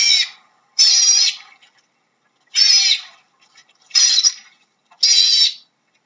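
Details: Otter calling with five loud, high, harmonic-rich squealing bursts, each about half a second long, spaced irregularly about a second apart, with faint chatter between them and a silent background.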